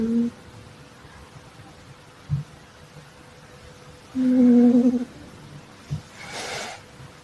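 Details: A sleeping female calico Exotic Shorthair cat snores: a short low tonal hum at the start, a longer steady humming tone lasting nearly a second midway, faint soft clicks between, and a breathy hiss of air near the end.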